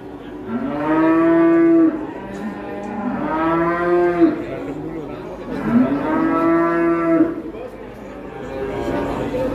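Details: Rampaging fat cow, frightening local residents: three strong, drawn-out bellowing moos, each lasting about two seconds and rising then falling in pitch, separated by quieter gaps with faint background noise.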